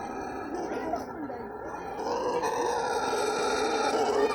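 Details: Brown howler monkey screaming at the Guarulhos zoo: a continuous, rough, low droning roar with layered harmonics, swelling louder in the second half and holding steady to the end.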